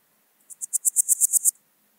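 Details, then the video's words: Podismopsis keisti, the Swiss gold grasshopper, recorded in Wildhaus, Switzerland, 7 October 2022; one brief phrase of roughly nine quick, very high rasping pulses that swell slightly in loudness, then silence. "Podismopsis keisti -- Schweizer Goldschrecke -- Swiss Gold Grasshopper"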